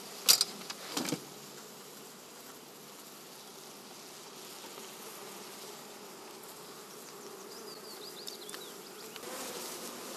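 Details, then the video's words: Swarming honey bees at an apiary in Poland, giving a steady, low droning hum with a few sharp clicking knocks near the start and end and faint high chirps late on. "Rójki - pszczoły"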